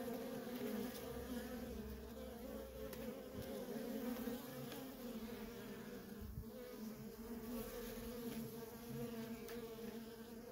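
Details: Dense, unbroken drone from busy worker honey bees at a feral colony, two clear stacked humming tones sustained throughout with faint flickering texture above.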